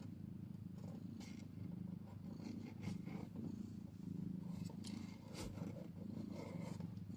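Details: Old footage of a mother cat with her newborn kitten just after birth. A continuous, even, low purr fills the clip, with a few faint rustling touches on top.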